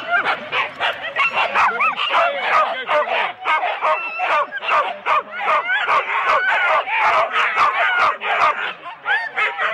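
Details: Huskies in 4-dog sled teams at the start of a race at Rendlesham in January 2016, an excited chorus of overlapping barks and yips, rapid and dense throughout, with some human voices mixed in.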